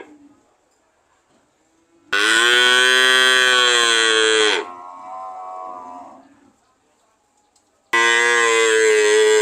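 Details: A cow lets out a loud, steady moo of about two seconds that fades into a softer, lower moan, then falls silent before another loud, full moo starts near the end.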